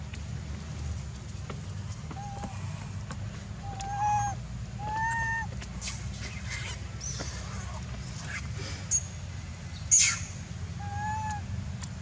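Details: Weaning cries from Jinx, a young macaque whose angry mother is weaning her at Angkor Archaeological Area, Cambodia; short arched tonal calls repeated every second or so, with clicks and scuffing noises and a constant low hum.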